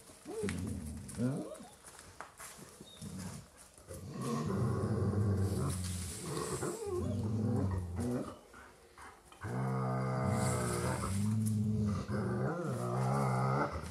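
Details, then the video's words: Dogs growling in a 3D binaural recording, low rumbling growls with harmonic bands, rising and falling in long bursts, several overlapping snarls and short pauses between outbursts. "CANI RINGHIOSI"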